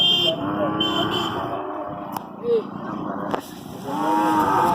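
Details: Hallikar cattle at the Magadi cattle fair in Magadi taluk, where a one-year-old stud bull is shown. A long, steady, harmonic lowing runs for nearly two seconds, then returns near the end, over crowd voices and a busy fair background.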